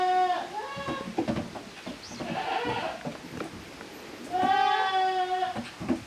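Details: At a handmade goat farm in Japan on 13 June 2023, kids of the goats Koharu and Okayu play in two teams. A quavering bleat opens, then clattering scuffles, then a second strong, steady bleat lasting over a second.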